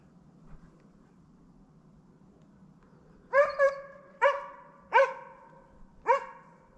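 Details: Slovakian hound named Arrow baying at wild boar during a driven hunt in Sweden, November 2022: five clear, harmonic barks with a slight upward inflection, the first two close together, then spaced about a second apart over a quiet low rumble.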